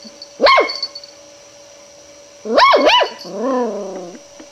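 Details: Long-haired miniature dachshund puppy, indoors, afraid of a roll of ribbon yet still investigating it; two sharp high yelping barks about two seconds apart, followed by a softer wavering whine. A steady electrical hum runs underneath.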